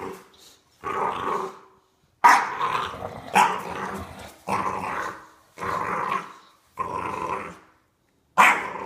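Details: Bulldog puppy playing tug of war: rough, raspy growl bursts lasting about a second each, repeated roughly every second with short silent gaps between them.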